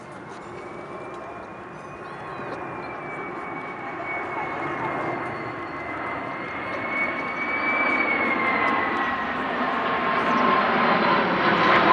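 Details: A steady roar of an aircraft or vehicle engine, with a high whine that rises and falls and faint speech underneath, grows gradually louder; no animal voice is heard.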